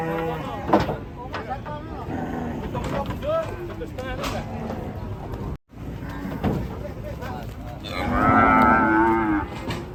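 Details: Raging cattle from a compilation of angry cows: a run of choppy, edited harmonic bellows over a noisy background, with a short silent cut midway and a loud, higher-pitched drawn-out bellow in the last two seconds.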